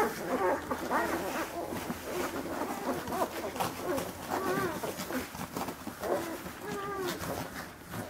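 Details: Rhodesian Ridgeback puppies feeding together at dinner in Verbania, Italy, born 25 March: overlapping thin whines and squeaks over steady shuffling, lapping and clatter noise, with no single voice standing out.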